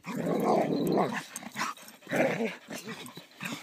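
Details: Pet poodles, Chloe and Susie among them, playing together; one dog growls in two harsh, throbbing bursts, the first about a second long and the second shorter, with people cheering them on and short scuffling noises between.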